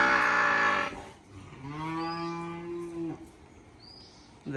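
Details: Farmed water buffalo kept in a muddy yard where the herd rests lying in the mud: a loud harsh blast, then a steady, drawn-out, low moo of about one and a half seconds, with faint background noise.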